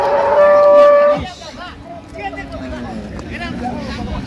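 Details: At Ambari market in Dinajpur on 28 September 2025, among dairy cows and calves: one loud, steady, horn-like call held for about a second, then it cuts off and a noisy crowd of voices carries on.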